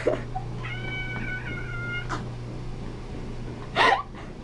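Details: Darkmoon, a mouthy house cat who scolds people for coughing or sneezing, lets out a long level harmonic meow lasting over a second, followed by a brief noisy burst, with a constant electrical hum beneath.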